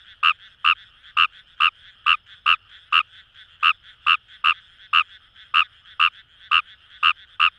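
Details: Fejervarya kawamurai, recorded in rice paddies along the Kamo River, Itoshima, Fukuoka, Japan, calls with brief sharp croaks repeated just over twice a second in uneven rhythm, quieter frogs murmuring in the background.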